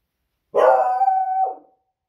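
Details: Female beagle dog barking at noisy fireworks on a Friday evening, raising the alarm: one loud drawn-out howling bark lasting about a second, rich and harmonic, holding steady before dropping off at the end.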